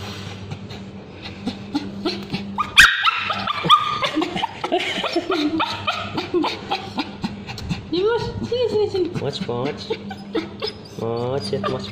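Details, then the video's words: Male Bichon Frise with scabies screaming as ointment is put on its tail, giving drawn-out harmonic wails that rise and fall, mixed with human speech, laughter and background music. "Male Bichon Frise Dog Screaming when babysitter applying ointment"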